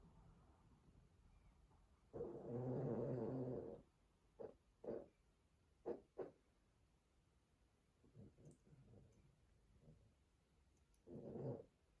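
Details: An exhausted male Boston Terrier, asleep after destroying his teddy, snores with a long, rough, rattling breath, then shorter snorts and wheezes.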